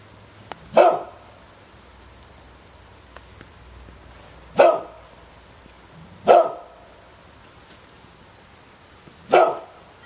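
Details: Household dog giving four loud, abrupt barks spaced irregularly, with long quiet gaps of up to four seconds and a few faint clicks in between.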